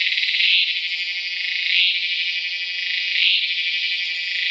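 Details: Tacua speciosa cicada calling, Peninsular Malaysia, 11 May 2014: a sustained shrill buzz that swells into a louder, brighter surge roughly every one and a half seconds, three surges heard.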